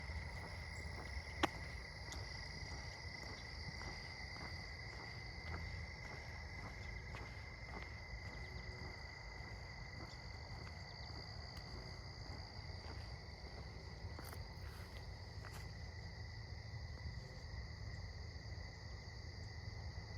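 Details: Crickets chirp steadily in a continuous high trill at dusk around sunset during an evening walk, over a low rumble of background noise.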